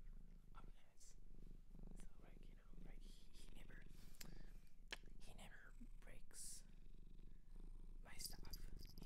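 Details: Cat from a Japanese shelter purring close up, a constant low vibrating rumble beneath intermittent whispering, rustles and a few sharp tapping sounds.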